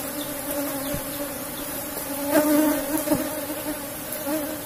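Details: Colony of Asian honey bees in a box hive while honey is harvested: a continuous even drone with a faint higher overtone, rising in loudness around the middle, with a few soft knocks.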